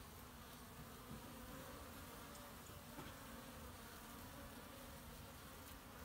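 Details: Even, unbroken droning of honey bees carrying pollen, kept hives, March 2018; the low hum sits under a broad hiss of background noise with no clear passes.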